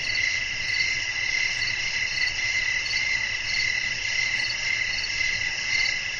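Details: Night-time crickets in nature, their dense high trill throbbing in even pulses roughly every half second, with a faint low hiss of breeze underneath.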